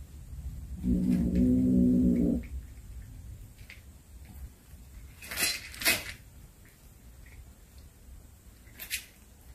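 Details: Domestic cat that brought home a snake it had hunted, giving a low, drawn-out growling yowl of about a second and a half, then quiet indoor rustles and a few sharp knocks.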